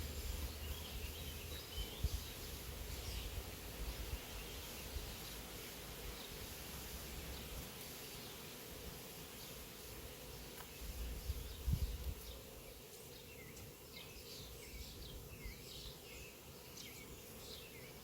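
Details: Swarming honey bees from an apiary, airborne and landing on a branch, make a continuous even hum at a fixed mid pitch. Low wind rumble swells around two and twelve seconds, and faint scattered high ticks fill the background.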